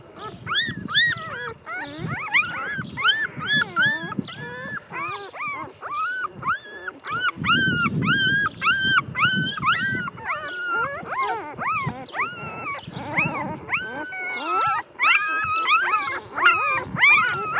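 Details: Litter of two-day-old Golden Retriever puppies whimpering almost nonstop: rapid, repeated high squeaks and short whines that rise and fall, about two per second, with a soft low rumble in the middle of the clip.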